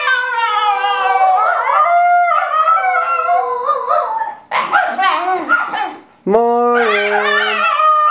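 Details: Two pet dogs, a basenji and a Miniature Australian Shepherd, howling and yodelling together: long sustained rich-toned howls with warbling pitch, a short break, then a sudden rising howl held steady with a lower voice beneath.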